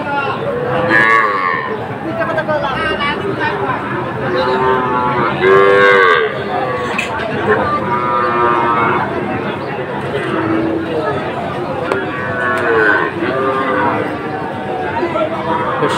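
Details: Small Sahiwal bull calves at Ambari cattle market, Kushtia, Bangladesh, on 24 May 2024: several long, wavering moos, some rising and falling, repeated through the stretch over a steady crowd murmur.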